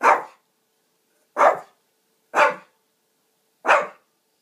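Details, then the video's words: A Shih Tzu demanding a drink of water barks four times indoors, short punchy barks about one to one and a half seconds apart, with quiet gaps between them. "Barking Shit....zu!"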